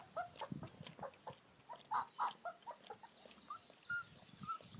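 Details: American Akita puppies playing outside in their garden area; short, separate yelps and whimpers with brief pauses between them, a few louder squeals and quieter chirpy notes over low background noise.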